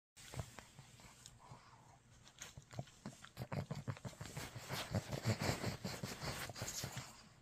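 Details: Pug. A pug snorts, snuffles and grunts close up, the breathy noises coming in quick, irregular bursts. The sounds grow louder and busier toward the end.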